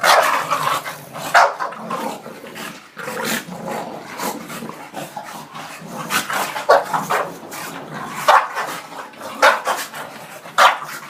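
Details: Bulldog named Shena getting mad and fighting, giving repeated sharp barks, about fifty a minute at uneven spacing, while a person urges it on with calls of "come on" and "good boy".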